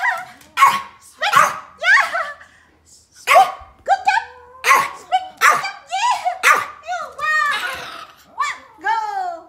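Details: Pomeranians barking at playtime indoors, rapid high yappy barks in quick irregular succession, some with falling whine-like tails, mixed with a person's encouraging speech.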